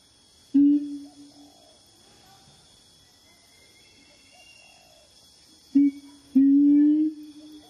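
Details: A siamang named Wawa gives loud, steady hooting notes, with a long pause between the first note and a later pair.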